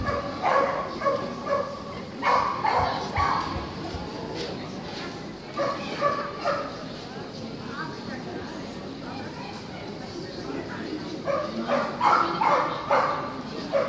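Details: At a terrier club's 120th anniversary show, Kerry Blue Terrier bitches compete in the open class; repeated clipped barks come in clusters every few seconds, with steady crowd chatter and hall echo beneath.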